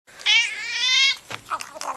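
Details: Domestic cat giving one loud, drawn-out meow about a second long, bright and strongly tonal with a slight wavering pitch, followed by brief scuffling and soft clicking noises.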